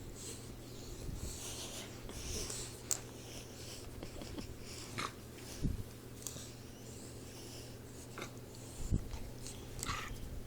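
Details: Troy, a 4-month-old Boxer puppy, snoring while asleep indoors: soft, rough low breaths in irregular bursts, with a steady low hum in the room and faint higher hissing.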